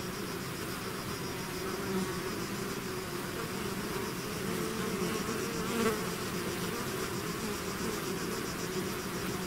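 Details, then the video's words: Swarm of bees leaving the hive, a thick unbroken hum of countless wings, slightly softer and more distant, with a single nearer bee swelling past midway. "bees therapy swarm natural buzzing sound"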